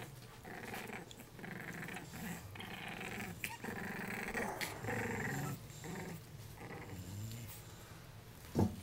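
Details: Play-growling from Jacob and Jordon, three-week-old puppies born to Abby and Diesel: a steady run of low grumbling growls with little whiny upturns, several sharp taps, indoors in a small room.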